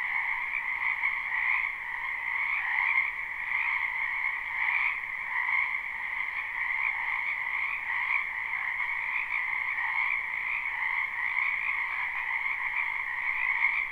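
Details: Many frogs croak in a spring wetland behind a house, a live recording with no looping: a dense, unbroken chorus of overlapping trilled calls forms two steady bands of sound, without pause for the whole stretch and with no other sounds.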